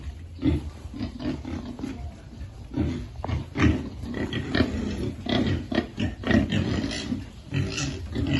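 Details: Piglets at feeding time on a farm give short, low grunts repeated roughly every half second, mixed with snuffling and scattered clicks of feeding.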